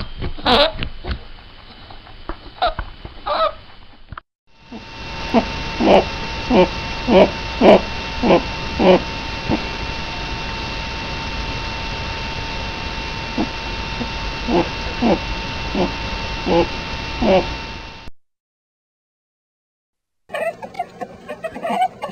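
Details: A rabbit (Oryctolagus cuniculus) gives soft, quick honking grunts in short bursts, expressing happiness, contentment, excitement or playfulness.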